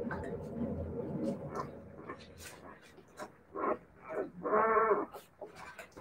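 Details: Siberian Husky puppies: short nasal yelping cries, then a louder drawn-out harmonic whine lasting about half a second near the end, over a steady low hum and soft handling noises.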